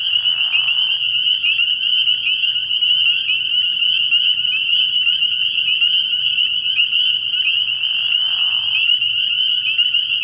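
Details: Spring peepers massed at a night-time frog pond early in the year, a high ringing chorus of overlapping peeps that never pauses; short lower rasping sounds appear at the start and again near eight seconds.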